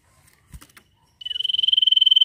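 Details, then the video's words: A cricket breaks into a shrill, high, even trill of rapid pulses, about twenty a second, after a few soft knocks and handling sounds. "SIRTU GACOR NYIUL!"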